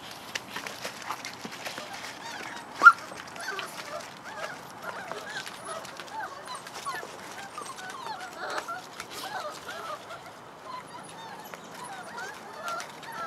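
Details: A litter of puppies playing and exploring around their den give many overlapping high, squeaky whines and yips, a busy chatter of short rising and falling calls, with one sharp knock and a person calling them outside.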